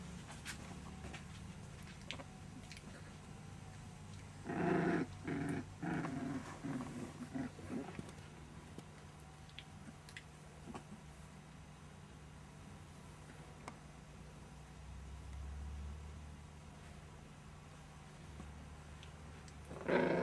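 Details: Month-old puppies at a kennel playing indoors, with short low growling bursts around the middle, faint yaps at the start and end, and a steady low hum underneath.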